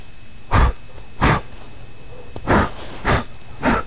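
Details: Molly, a sleepy West Highland White Terrier puppy, biting at the air indoors; five short, breathy, snorting huffs at uneven intervals of roughly half a second to a second, with a low faint hum between bursts.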